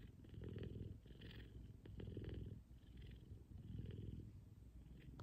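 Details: A big F2 Savannah cat purrs loudly and deeply while cuddling in the morning, a low rumbling pulse that swells and fades in a steady rhythm.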